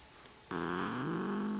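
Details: Wild-sounding neutered male Desert Lynx hybrid cat, a pet that loves to sit and talk, breaks from near silence into an abrupt, steady, raspy moan. It holds nearly one pitch, then steps slightly higher.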